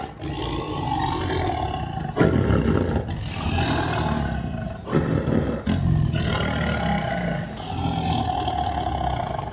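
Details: Sumatran tiger of Indonesia roaring: deep, rough, broadband roars in several long bouts separated by short breaks, strong low rumble beneath raspy upper tones.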